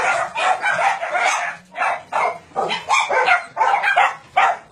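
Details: Many dogs on a combined dog-meat farm and puppy mill in Nonsan, South Korea, January 2017, about 150 dogs including Doberman, Shar Pei, Chow Chow and Golden Retriever, bark in a dense overlapping chorus, sharp yelps repeating roughly twice per second.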